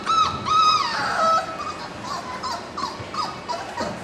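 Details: Several four-week-old littermate puppies, born March 7, 2010, start with two long high whines with a wavering rise and fall, then break into brief soft squeaks and whimpers that repeat irregularly.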